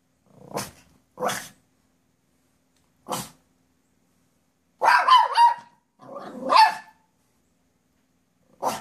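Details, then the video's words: Poodle called Kate barking as a squirrel comes down a tree near the driveway: short sharp barks spaced about a second apart, then two louder clusters of yelping barks with whiny tones, quiet gaps between. "Poodle and Squirrel"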